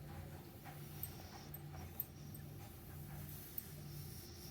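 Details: Meatloaf the dog asleep in the morning, snoring softly with deep, buzzy breaths shifting between two low pitches, plus a few tiny clicks in a quiet room.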